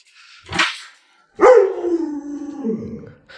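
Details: Alaskan Malamute named Luoluo, a pet dog said to know 36 tricks: a short breathy burst, a pause, then a long drawn-out vocal that starts higher and slides down into a low wavering moan.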